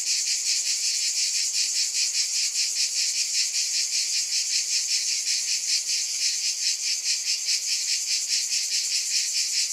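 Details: Cicadas in a dense, steady, high-pitched buzzing chorus that swells and fades about two and a half times per second throughout, with no other sounds present.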